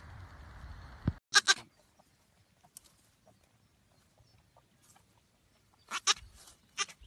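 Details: Baby goats jumping around and playing give short, harsh, harmonic bleats: a pair just after a sharp knock near the start, then quiet with faint rustles, then a cluster of three to four bleats near the end. Low rumbling noise opens the recording.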